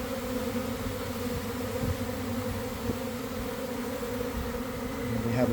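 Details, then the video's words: Swarm of honey bees fanning to spread their homing pheromone near a garden hive in the afternoon: steady, rich humming drone, even throughout, swelling a little at the close. "Catching a Swarm in Real Time!"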